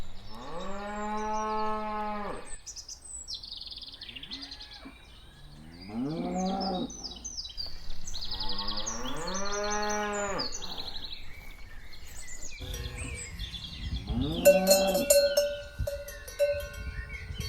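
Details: Cows walking; several drawn-out moos from more than one animal, each one to two seconds long, spaced a few seconds apart, with faint bird chirps and a brief whistle-like tone near the end.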